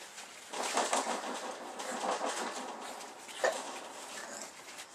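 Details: Borvo, a sleeping bulldog from the "B" litter, snoring: soft, breathy, rasping snores in noisy bursts about every one and a half seconds, with a sharper snort near the end.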